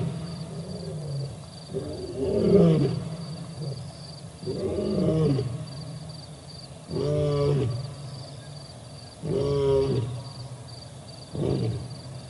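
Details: Male lion at the Olifants River, 4 October 2020, with another male lion nearby: repeated low grunting roar bursts about every two to two and a half seconds, tapering and softer toward the end of the sequence.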